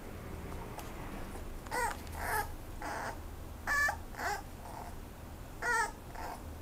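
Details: A Toy Poodle puppy up for adoption at a rehoming pet shop gives short, high, yappy barks, some doubled, spaced a second or two apart; dated 19 May 2018.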